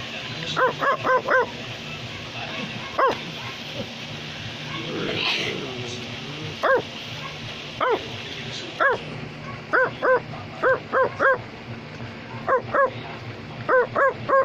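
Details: A male Australian Labradoodle gives sharp, short barks in quick bursts of two to four when urged on, then is praised.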